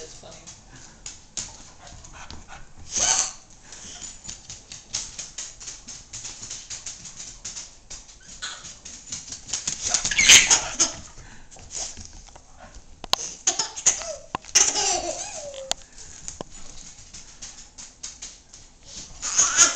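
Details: Bailey, a pet cocker spaniel, plays with a young girl who loves him. A few sharp broadband barks burst out, loudest near the start and middle, with soft whimpers and human voices between them.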